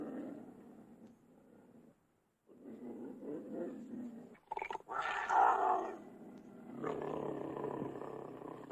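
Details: Low, rumbling growls from a cougar, broken by a brief silence, then a sharp louder snarl with a rising harsh edge, followed by a sustained rough growl continuing to the end.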